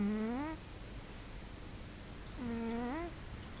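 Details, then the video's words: Sleeping pet cat snoring, two drawn-out whistling breath tones about two and a half seconds apart, each bending upward at the end, with faint low hiss between them. "My Cat Kimba Snoring!"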